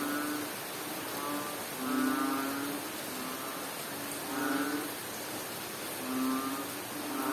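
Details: Frog calling during rain in Bohol, Philippines: low, droning croaks with a buzzy, harmonic tone, each lasting under a second and repeated about every two seconds over a steady hiss of rainfall.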